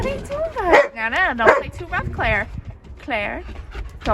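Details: Playing shepherd puppies, loud and vocal in a group: several drawn-out, rising-and-falling whining yelps, harmonic and arched, come in close succession amid a woman's scolding against rough play.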